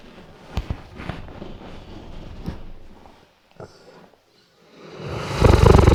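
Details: Sleeping Weimaraner dog snoring, captured on a RODE NTG3B microphone: low, rough rumbling breaths with a few soft clicks, a short near-silent pause, then a loud broadband rustling burst at the end.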